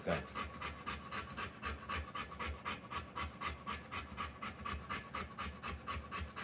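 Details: Panting from a Rottweiler during the live birth of her puppies: quick, even breaths of about four a second, each a short breathy burst, continuing without pause through the whole stretch.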